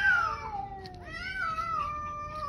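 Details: Stray cat wailing at a roadside in the evening, apparently upset by a second, black cat nearby; a long, harmonic-rich descending wail sliding down, then a second drawn-out, wavering yowl that slowly falls in pitch.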